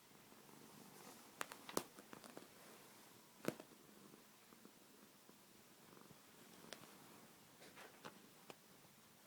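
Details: Sleeping pet cat purring and snoring, recorded quietly indoors; a low steady rumbling purr in slow breathing cycles, broken by several sharp clicks and rustling handling noises.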